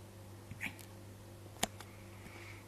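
A Siberian Husky hiccups, with short, sharp clicking gulps about a second apart.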